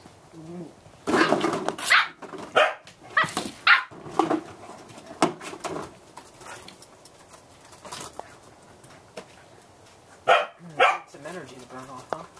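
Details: Playful Samoyed puppies aged 8 1/2 weeks, four littermates out on a deck after heavy rain ended, November. Bursts of quick yapping barks in irregular clusters, several in the first four seconds, then a quieter stretch and another pair near the end.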